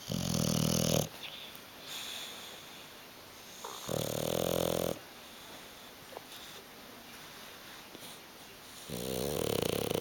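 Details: Asleep on the sofa, Hugo the bulldog snores in rhythmic, gravelly rumbles of about a second each, coming roughly every four to five seconds, with soft breathing and faint clicks between them.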